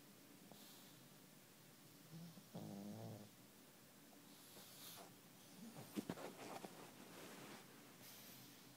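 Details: Pug snoring during a nap: a quiet, rough, pulsing snort lasting about half a second, then softer breathy rasps and a few sharper snuffles later, against a low indoor background.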